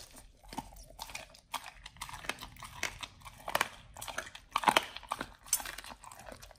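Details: Pit Bull named Nomyen eating a raw whole Thai duck for the first time, on a raw prey-model diet; irregular wet crunching and tearing bites with sharp cracks, one loud crunch burst near the middle, indoors.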